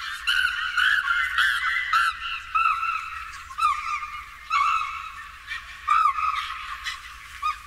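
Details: Female chimpanzee at Twycross Zoo screaming in anxiety while crawling through grass before a male offers his back for a hug; loud, high, harmonic shrieks in rapid bursts, rising and falling, repeated several times a second with brief gaps.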